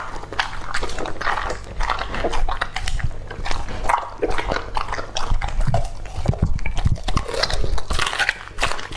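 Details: Lucky, a two-and-a-half-year-old male English-type Labrador Retriever, eating raw meat indoors; dense wet chewing and biting, rapid irregular crunches and smacks running continuously throughout.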